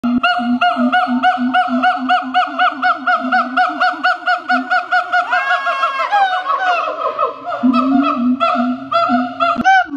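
A siamang calls in a rapid, regular train of resonant honking hoots, several each second. Midway the notes bend into rising, wavering whoops before the steady pulsing resumes, loud and ringing.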